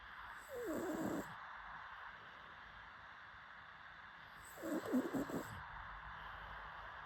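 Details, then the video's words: A pug dog asleep gives two snorting, rattling snore breaths about four seconds apart, the second one louder and choppier, with a steady hiss between them. "PUG DOG SLEEPING"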